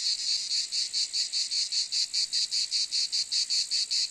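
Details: Loud, shrill cicada drone pulsing in a regular rhythm, about four to five throbs per second, sustained without a break and with no other sounds.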